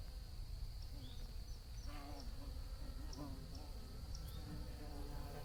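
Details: Soft, continuous bee buzzing with wavering low tones as insects move about, under a steady high-pitched background whine.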